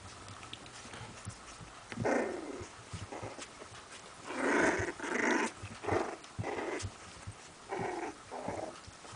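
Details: Sealyham Terriers Dunya and Amilcar in Kiev growling in rough, throaty bursts: one near two seconds, a louder cluster from four to six seconds, then further short growls toward the end, with quiet faint rustling between.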